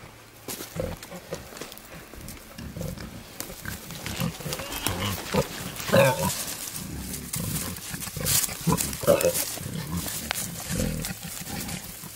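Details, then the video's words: Courting male wild boar with a wild sow: steady low grunting that builds in loudness, with a few squeaky, higher notes mixed in and constant rustle. "Wild Boars love story"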